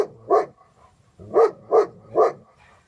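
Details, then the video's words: Dog- and people-reactive German Shepherd Dog giving single deep-centred barks, one early and then three evenly spaced in quick succession, with low rumbling noise between them. "Dog and People Reactive GSD, Bhr! German Shepherd Dog"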